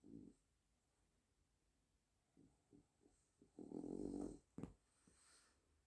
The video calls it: the french bulldog snores